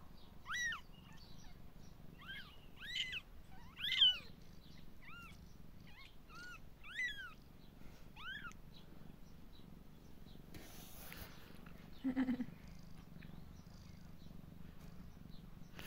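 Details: Five three-day-old kittens give thin, high-pitched mews, repeated about once a second in quick rising-falling arcs.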